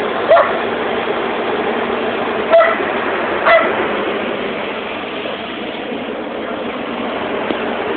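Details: Border collie Holly, a smart dog out on a walk while running, gives three short, high, tonal yelps spaced a second or two apart over a steady roar of rushing, engine-like noise.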